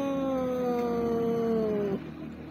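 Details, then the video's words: Long, steady meow from a street cat that wants to be pampered, a sustained tone gently sliding downward for about two seconds before cutting off, with faint background hum. "When you meet a street cat who wants to be pampered"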